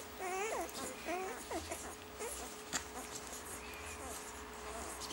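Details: Five-day-old German Shorthaired Pointer puppies while nursing: short high squeaks and whimpers that bend up and down, several packed into the first two seconds, then a thin drawn-out whine near the end over a faint steady hum.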